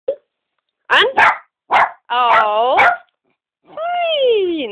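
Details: A five-year-old male Cairn Terrier mix barks on the spoken command "an" and stops on "aus": a few sharp, high yaps, then longer, wavering barks, with a person's voice nearby.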